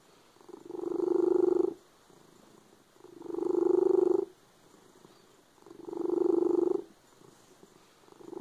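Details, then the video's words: A cat giving a loud purr, a dense low buzz that builds and eases in three long, regular pulses, each lasting over a second, with quieter gaps in between. "The cat with a loud purr."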